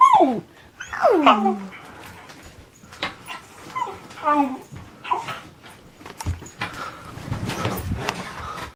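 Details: Pet dog being goofy indoors, giving a few falling, wavering whines and grumbles near the start, followed by shorter yips, with a person's voice and household noise toward the end.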